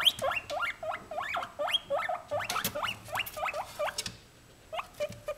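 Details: White female guinea pig, kept as a pet, said to be extremely happy at being filmed rather than asking for food. Rapid series of short, rising squeaky chirps, several per second, with brief pauses and a quieter tail.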